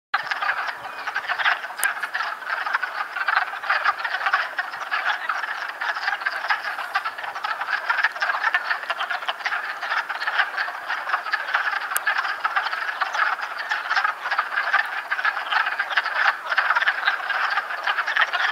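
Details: A dense chorus of wood frogs in amplexus (mating) in Chappaqua, New York, in March, giving rapid, hoarse, duck-like clucking croaks that overlap without pause.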